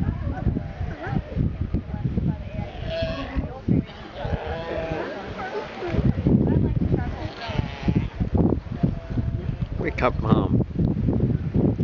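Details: Sea lion on Santa Fe in the Galapagos gives drawn-out, harmonic bleating calls as a man talks to it. The man's speech runs through most of the recording and often overlaps the animal.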